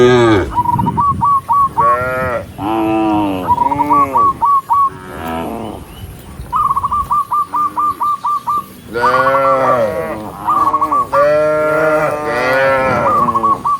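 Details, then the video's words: A herd of tame cows walking together along a countryside path as the sun sets, mooing to call dozens of others home; repeated long, wavering moos follow each other closely, interspersed with bursts of rapid, even chirping trills. "with the sound of cows, cow Sound"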